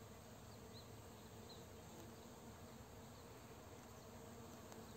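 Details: Many honey bees working a rapeseed field for nectar and pollen in the afternoon as a nearby farmer sprays crops; a continuous low droning buzz with a few faint high chirps above it.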